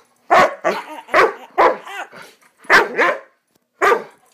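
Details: Swiss Mountain Dog puppy, a family pet, barking during one of its excited "bad dog runs": about seven loud, harsh barks in an uneven burst, some doubled, with short silent gaps over four seconds.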